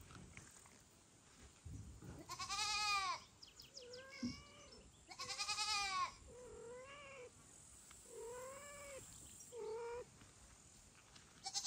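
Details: Mother cat Kira being called loudly, foster kitten Ginny and kitten Leo nearby; two loud, long, harmonic cries mixed with several softer, shorter meows at a steadier pitch.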